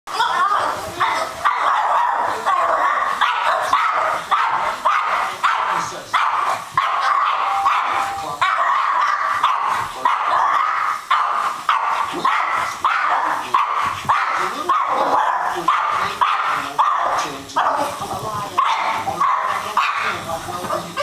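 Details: Dog chasing a helicopter, barking in a fast, steady string of sharp, loud barks throughout, with a continuous mechanical drone and some voices in the background.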